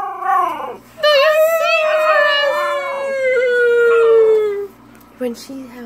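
A Siberian Husky puppy gives a long, wavering howl that slowly slides down in pitch.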